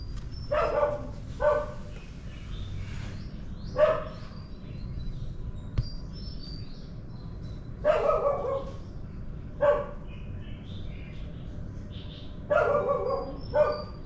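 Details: Dogs bark during the morning in loud, rough paired barks repeating every two to four seconds, some doubled quickly, against a quiet low background hum.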